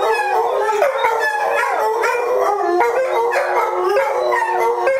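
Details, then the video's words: A pack of German Shorthaired Pointer house dogs joins a female in howling at a television commercial jingle. Long, quavering voices overlap, bending in pitch and starting anew every second or so. "German Shorthairs howling at commercial"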